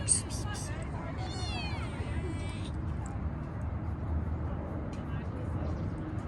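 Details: Park-dwelling stray kitten being petted: a few sharp clicks, then a wavering, slightly rising-and-falling meow lasting over a second, set against constant low city traffic hum.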